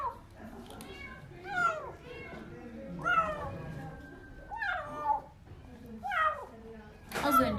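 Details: Hungry stray kitten, just found outside under apartment buildings by young people, crying while eating its food indoors; loud, descending, wailing meows about every one and a half seconds, with a woman talking in Turkish between them.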